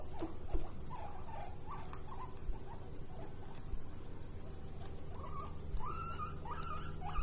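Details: Happy guinea pig wheeking: faint short squeaks early on, then a run of loud rising whistled wheeks from about five seconds, each sweeping upward and repeated roughly every half second, over a steady low background rumble.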